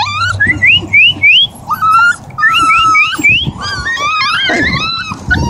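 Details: A Siberian husky family in Oregon keeps up dense, tonal whining: looping, rising-and-falling whimpers and short upward-swooping cries in quick succession, several voices overlapping with scarcely a pause.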